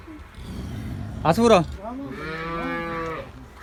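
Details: Cattle at a Girlendo cow farm in Pakistan where animals are offered for sale: a steady, low, droning moo with rich harmonics holds for over a second, after a brief burst of human voice.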